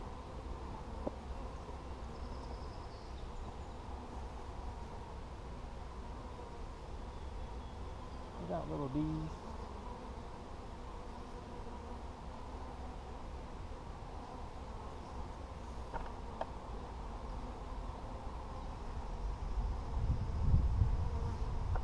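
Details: Bees in a honey-filled hive being shooed out during a beekeeper's inspection on 17 July 2020. A continuous low buzzing hum is broken by a brief spoken word, and louder handling noise builds toward the end.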